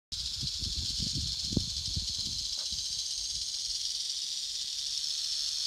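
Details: Prairie rattlesnakes acting defensively at a large den in Colorado, afraid of a nearby person: a continuous high buzzing rattle, steady throughout, with low rustling and thumping during the first three seconds.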